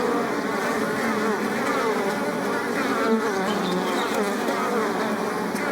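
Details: Short burst of bees among blossoms, a continuous mass of overlapping buzzing notes, individual insects briefly rising and falling in pitch within the steady drone.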